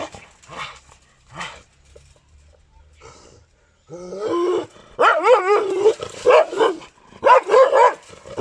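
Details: Pakistani Gultair dog, a breed described as aggressive, starting with a few soft sounds, then breaking into loud, rapid, rough barks fired several per second in two bursts near the end.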